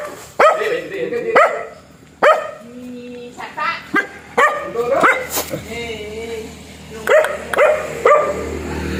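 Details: Black dog giving spaced single barks, each a sharp harmonic burst roughly once a second, with a brief whine-like tone between barks and human speech in the background.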